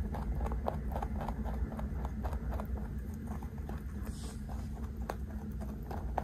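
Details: A large 3.2 kg pet rabbit eating snacks it is handed, recorded up close: a rapid run of crisp crunching clicks, several per second, over a steady low hum.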